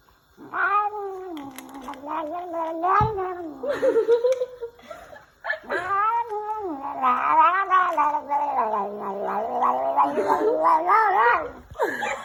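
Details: Domestic cat yowling in a long, drawn-out caterwaul: strongly harmonic wavering howls that rise and fall, one unbroken stretch of about four seconds, a short pause, then a second extended warbling wail with a sharp rise at the end.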